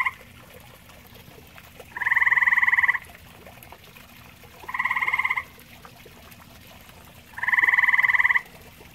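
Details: Grey tree frog calling at a pond shared with common toads: three loud, pulsed, buzzy trills, each about a second long, spaced roughly two and a half seconds apart over a soft, steady background.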